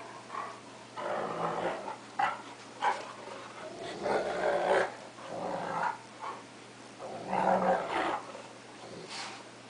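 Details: Two pet dogs, a cocker spaniel and a 3/4 wolf 1/4 Akita, play-fighting; rough growls and snarls come in irregular bursts of a second or so, with short breathy gaps and a low steady hum underneath.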